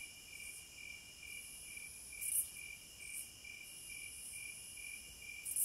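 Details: Wilderness cicadas sustain a thin, high-pitched whine that swells into brief loud buzzes about once a second near the middle and again at the close, layered over a lower, fast, regular pulsing chirp.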